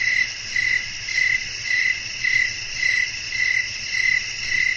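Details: Crickets chirping at night in a natural setting with wind, a sleep ambience: short pulsed trills repeated about twice per second, evenly spaced, over a steady high insect hiss and faint low rumble.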